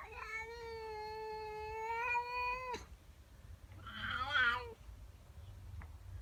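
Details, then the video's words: Morning yowling from a female pet cat objecting to another cat in her garden. One long, level, drawn-out wail is followed after a pause by a shorter, wavering, rougher call. "Cat doesn't like the neighbour cat. FUNNY WEIRD CAT NOISES!!"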